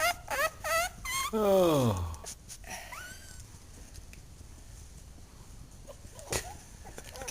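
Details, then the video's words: Two-week-old puppies yawning as they are picked up: three short high whines bend downward, then a drawn-out squeaky yawn slides from high to low before fading. Quiet follows, with one faint click. "Puppies Yawning"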